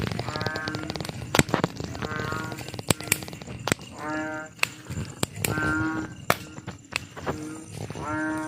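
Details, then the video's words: Frogs at night giving loud, hoarse, moaning calls with rich overtones, each about half a second long and repeated every second, with sharp ticking clicks in between. "Suara katak di malam hari"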